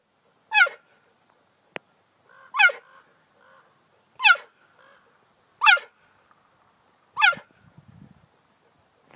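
A cheetah gives loud, bird-like chirps, each sliding sharply downward, repeated about every one and a half seconds.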